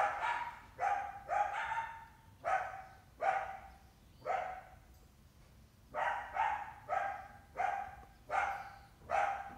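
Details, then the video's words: Coyote in summer, hunting a house cat while accompanied by at least one large pup, giving a steady series of rough, slightly tonal barks, about one per second, some doubled. "Summer coyote trying to hunt our indoor cat; she has at least one big pup with her."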